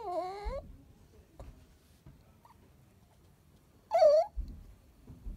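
A Chihuahua gives two rising-and-falling whiny, talking-like cries, asking for its ball.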